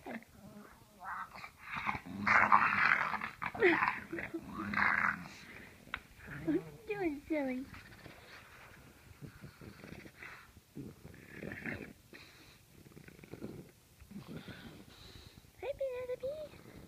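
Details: Pet dogs cared for during the Thanksgiving holidays: rough growling early on, then thin rising-and-falling whines, with a human voice talking over parts of the recording.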